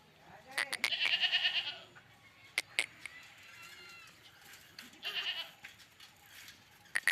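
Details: Barbari goat on a goat farm in Jaunpur: a quavering, wavering bleat around the first two seconds, another drawn-out bleat near five seconds, with sharp clicks and knocks and a faint background bleat between them.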